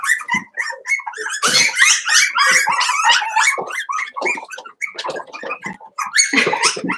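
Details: Five-week-old Cavalier King Charles Spaniel puppies in their indoor puppy pen, making overlapping high squeaks and thin whines in rapid, uneven bursts, with a louder clustered outburst in the middle and another near the end.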